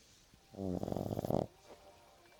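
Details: French Bulldog snoring: a single rough, buzzy snore lasting about a second, rattling and vibrating, then quiet breathing.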